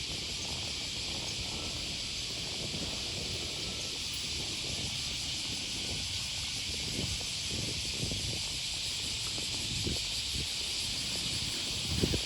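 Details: Cicadas on an August 2020 morning beside the Okawa River near Sakuranomiya Park, Osaka, Japan: a steady, dense, shrill hiss runs unbroken throughout, with soft walking footsteps and faint low rumble beneath.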